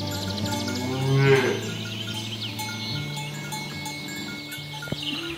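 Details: Village cattle driven along toward their pen through a rice-field ditch; one short, loud moo near the start, then only faint steady chiming tones and low rumble.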